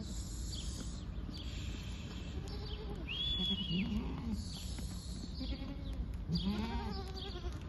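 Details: Bleating of Awarid goats at Al-Summan, eight does with nine young: two clear, quavering bleats rising then falling, spaced a few seconds apart, above a steady low-pitched rumble and a brief high whistle.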